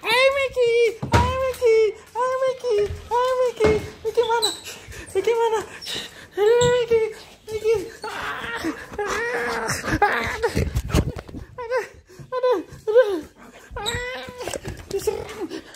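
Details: Golden retriever Micky greets his father, who is coming home from morning tennis on 13 March 2023, indoors. High, rising-and-falling whines and whimpers repeat about every half second, with excited human voices mixed in.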